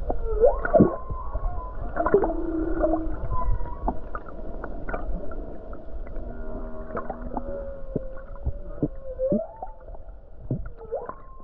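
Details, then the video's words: Humpback whale song off Hawaii on a calm day with numerous whales close to shore: repeated short upswept whoops and clipped tonal units, some low buzzy groans, and frequent sharp clicks over a deep rumbling background. "Beautiful Humpback Whale Song near Hawaii Coast"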